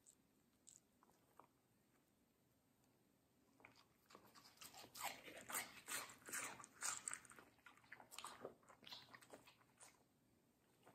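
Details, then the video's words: Middle, a medium-size fluffy female Samoyed, bites into juicy watermelon in a small indoor room. A few isolated crunches come first, then a dense run of wet, crackly bites and chewing from about four seconds onward, fading toward the end. "ASMR Dog Watermelon Review - Middle the Samoyed"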